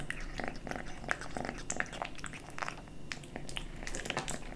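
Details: Kitten eating dry and wet cat food in a small room. Steady, fast runs of wet chewing and crunchy bites follow each other closely, over a low rumbling background.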